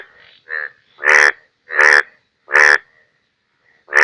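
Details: Indian bullfrog, Hoplobatrachus tigerinus, during Bangladesh's rainy season: three strong rasping croaks spaced under a second apart, preceded by fainter, thinner calls from another frog, quiet background between calls.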